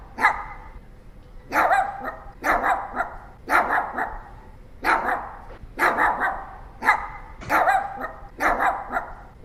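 A Pomeranian barks steadily in short, shrill, yappy bursts. The barks come singly or in rapid doubles, repeating roughly every second with brief quiet gaps between.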